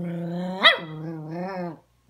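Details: A scolded puppy talking back to its owner gives one sustained, low, growly howl. A sharp bark-like peak comes early, then the howl wavers for nearly two seconds before stopping abruptly.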